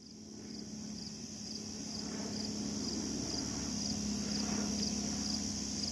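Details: A Slightly Musical Conehead katydid stridulates in a steady high buzz of quick, evenly spaced pulses, at the Assabet River National Wildlife Refuge in Maynard, Massachusetts.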